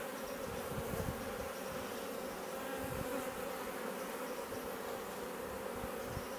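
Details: A swarm of honey bees that had just moved into a garden bait hive in Leicestershire, England, in June 2020, coming and going, hums in a steady, dense drone, many wings buzzing together without a break.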